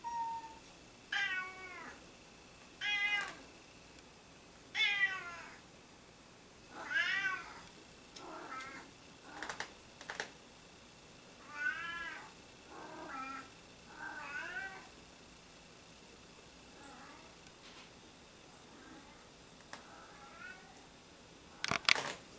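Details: Several pet cats meowing over and over: a string of clear, harmonic meows, some sliding downward, others short and chirpy. About a dozen calls come at uneven intervals over twenty seconds against a quiet background.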